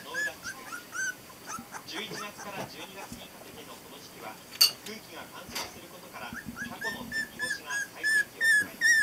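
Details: Border Collie litter of four pups at 22 days of age, born 23 November 2012: repeated high, nasal squeals and whines in quick irregular bursts, louder and more tonal near the close, mixed with human voices.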